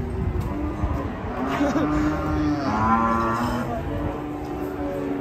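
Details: Angry cattle tied with a rope tight around the neck: a drawn-out low moo rises and swells midway, mixed with steady background music and some speech.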